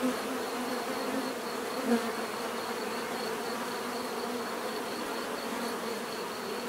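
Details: Bees buzzing in a natural setting, offered for relaxation and sleep: a dense, steady drone of many wings layered into a continuous hum, with a brief louder buzz passing close near the two-second mark.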